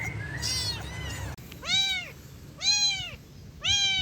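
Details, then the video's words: Rescued kitten meowing: clear, high, arching mews roughly once a second, each rising then falling, over a steady low rumble of background noise with a faint earlier call. "Suara Anak Kucing Mengeong"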